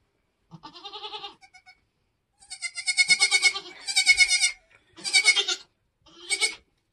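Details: Nigerian Dwarf goats on a homestead during kidding season, kids being born: five loud, quavering bleats, the first lower and shorter, the rest higher and strained with a pulsing vibrato, separated by brief silences.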